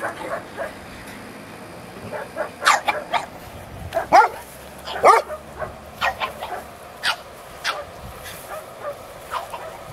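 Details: Yipping from Elmo the pug pup, a finger-biting puppy on a farm: a string of short, high-pitched yelps at irregular intervals, several louder ones near the middle, the others fainter and spaced out.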